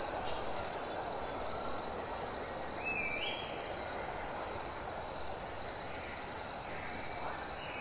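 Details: Summer cicadas singing in a soundscape: an unbroken, shrill, high droning tone holds steady throughout over a dense broad hiss, with a brief rising whistle just before the three-second mark.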